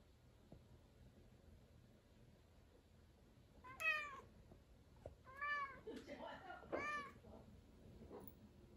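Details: Angry cat meowing at the ceiling indoors: a sharp harmonic meow near four seconds, then a cluster of drawn-out, wavering meows between five and seven seconds, over a quiet room hum.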